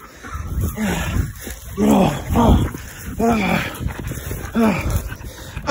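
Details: Belgian Malinois during bitework training, giving a run of arched, rising-falling whines or yelps about once a second. Human voices and rural background noise are mixed in.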